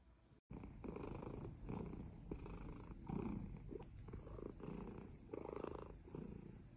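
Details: Cat from a compilation of adorable baby cats purring close up: a continuous rough, rumbling purr that swells and fades with each breath, after a brief silence at the start.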